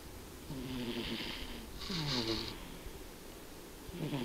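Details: Indoors, the cat Tobiko snores in her sleep. A short stretch holds two full wheezing snore cycles, each a gravelly in-breath with a breathy whoosh, and the start of a third at the end.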